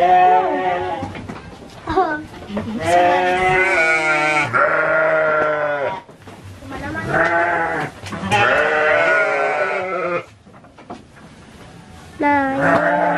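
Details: Repeated harsh, vibrating bleats of Garut sheep at a ram-fighting gathering on a breeding farm in Cilawu, Garut, West Java, nearly continuous for ten seconds before a short lull and a final call.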